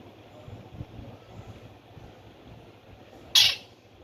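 After several seconds of low, steady background noise, a Himalayan squirrel lets out one loud, abrupt chirp. The call is brief, raspy and high-pitched, ending almost as soon as it starts.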